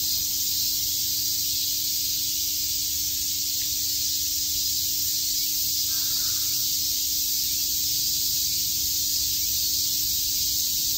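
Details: On a summer day at Shakujii Park in Tokyo, cicadas keep up a continuous shrill buzzing drone, steady in loudness, with a faint steady low hum and a brief soft sound midway.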